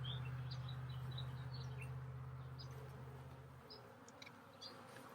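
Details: Honey bees in a hive that holds a newly caged queen, during re-queening from a hive split. A low, steady droning hum fades out after about three and a half seconds, leaving faint scattered high chirps and handling noise.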